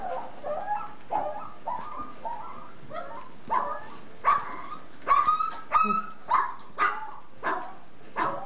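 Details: A Z-Litter of three-week-old puppies at the milk, nursing noisily: a steady run of short high whimpers and yips, roughly two per second, some bending upward into squeaky cries, with faint background shuffling.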